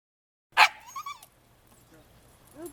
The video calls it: Baby Husky Howling Cute